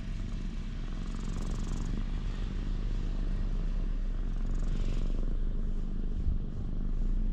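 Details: Ginger tabby community cat relaxing in a cat shrine's parking lot while being petted, recorded on a GoPro HERO8: steady low, rumbling purr throbbing continuously, with a faint background hum of outdoor traffic.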